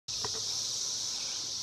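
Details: Millions of cicadas in woods sing a steady, high-pitched electric buzz that holds without a break.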